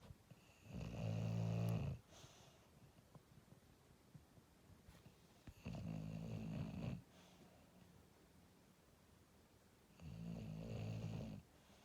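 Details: Sleeping English Bulldog snoring indoors, possibly dreaming: three low, rough rasping snores about four seconds apart, each lasting roughly one second, with quiet breathing between.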